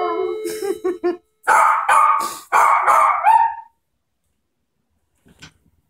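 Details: Maltese male starting to howl out of nowhere when the doorbell goes off: a chime fades at the start, then three rough, wavering howls follow in quick succession, the last trailing off, then near silence.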